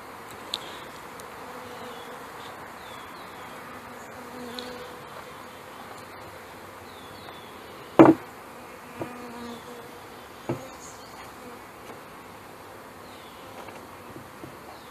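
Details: Honey bees buzzing softly around a hive during installation of package bees, May 2013, with big drones among them; a low hum runs underneath several loud knocks and clunks of hive equipment and faint chirps.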